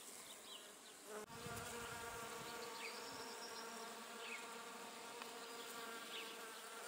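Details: Bee working Judas tree flowers (Cercis siliquastrum), going flower to flower; a sustained droning hum with a clear steady pitch, a short knock near the start, and scattered faint high chirps behind.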